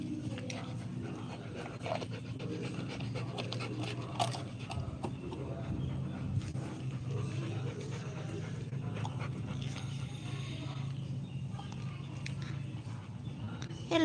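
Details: Rottweiler with a puppy nearby, panting steadily in quick, breathy, rhythmic puffs throughout, with faint scattered human talk and household noise in the background.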